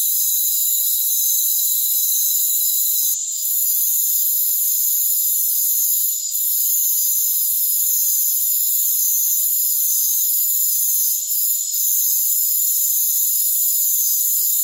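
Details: Steady high shimmering drone from crickets in a rainforest, several pitches humming at once, with short faint lulls at intervals and no other sounds.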